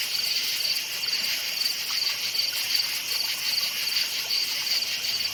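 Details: Night-time forest crickets in chorus, short shrill chirps pulsing roughly three times a second above a continuous high buzzing background of many insects.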